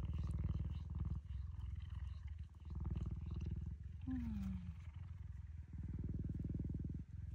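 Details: Cheetah giving a deep, continuous rumbling purr, low and throbbing with a steady fast pulse, briefly interrupted by a short falling squeak-like tone midway; faint background noise.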